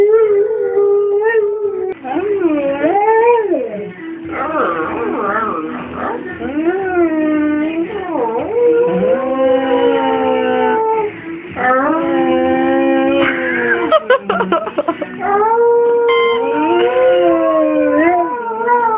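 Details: Copper, a pet Rhodesian Ridgeback, 'singing' in a long, continuous howl. His voice wavers and swoops up and down in pitch, with drawn-out sustained notes and breaks between phrases. Faint human voices can be heard alongside.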